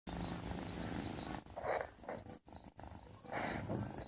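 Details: Sleeping domestic cat snoring: soft, breathy rasping bursts that swell and fade in a slow breathing rhythm, with brief quiet gaps and a steady faint high whine underneath.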